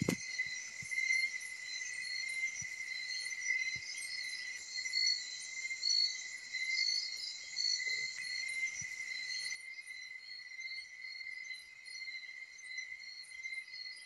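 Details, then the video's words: Crickets calling at a bahay kubo in the countryside, a continuous pure high ringing tone with layered pulsing buzzes above it, the upper chorus dropping away partway through while the main tone carries on. Faint low thumps. "KULIGLIG AT KULISAP"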